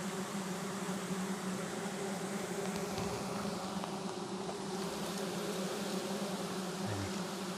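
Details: Wild giant honey bees swarming around a very long forest nest as it is harvested, a dense steady buzzing hum with a low drone throughout and a faint voice near the end.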